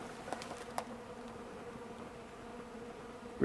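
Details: Bees feeding on honey and cappings put out on an unusually warm December 2, 2012, at 65 degrees. A soft constant wing hum with a few sharp taps early on and a brief loud rustle at the end.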